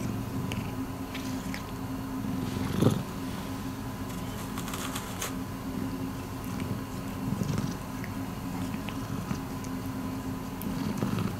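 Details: Miiko, a rescued pet cat, purring indoors: a steady, continuous low hum with layered tones throughout, broken by a few soft clicks and rustling sounds.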